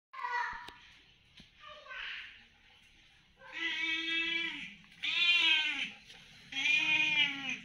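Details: Hungry cat meowing to ask for food: after some faint speech-like sounds, three long, loud, drawn-out meows arrive about a second apart, each rising then falling in pitch, in a small indoor space.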